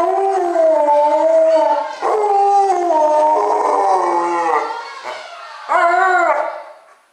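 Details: Alaskan Malamute in a drawn-out, warbling howl that breaks and resumes, fades, then ends with a short, sharply rising howl.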